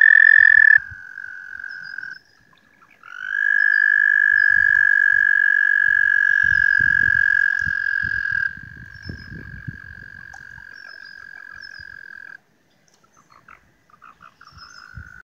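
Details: Large spring gathering of frogs calling near Woodstock, New York, on May 4th: loud sustained trills overlapping, then fading into quieter, broken trills with brief gaps and a few low taps.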